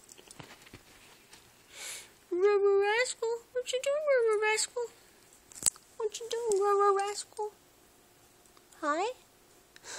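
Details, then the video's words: Two dog brothers, Rascal and Atom, sit on a couch 'talking': drawn-out, wavering whine-howls that rise and fall in bursts over several seconds, with a short upswept yelp near the end, amid occasional soft human voice. "Rascal and Atom on the couch talking"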